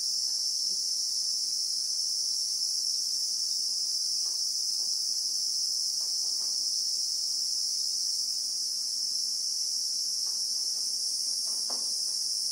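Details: Christmas beetle (Anoplognathus) in the South African bushveld, recorded in real time: an unbroken, very high shrill drone holds steady throughout, with faint scattered ticks and knocks underneath.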